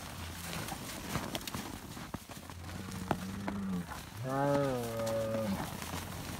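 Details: Highland cattle on a farm in Finland being fed bread: a fainter, shorter moo near three seconds followed by a clearer, wavering, slightly higher moo of about 1.3 seconds, over background rustling and knocks.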